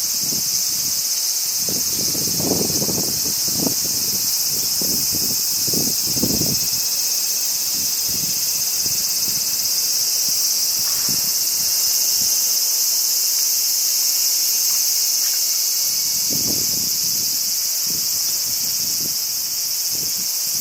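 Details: Crickets on a summer day in Japan, a dense, unbroken high shimmering trill held throughout, with low wind gusts rustling strongly in the first seven seconds and again near seventeen seconds.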